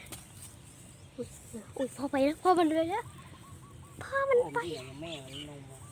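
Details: Puppy crying for its mother, which has gone missing: a run of wavering, harmonic whining cries that rise and fall, bunched in two bursts, then a pause, then more quavering wails, over a low steady background hum.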